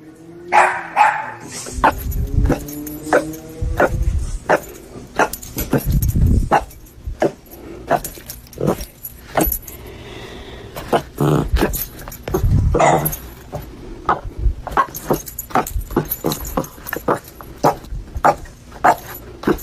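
A Boston terrier barks in short, sharp bursts, with a vehicle rumbling in the background.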